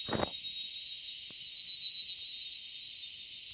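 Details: Crickets in the quiet Dalma forest in Jharkhand, India, keep up a steady, high, shrill trill that hardly changes in pitch or volume.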